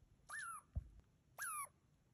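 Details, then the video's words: A wild Douglas squirrel on the Ancient Cedars hike defensively scolds a person with two loud, squealing calls, each slightly falling in pitch. "Wild Douglas Squirrel Sounds"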